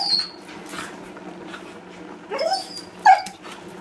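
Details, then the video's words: Border Collie in distress lets out a high, piercing squeal, then two rising whines close together near the end, separated by quiet rustling in an indoor space. "Border Collie angst"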